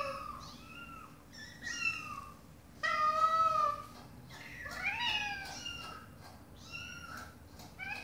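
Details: Mother domestic cat talking to her kittens, with a string of harmonic meows, some long and level, others short and arching, several overlapping as kittens answer; a low steady hum runs underneath.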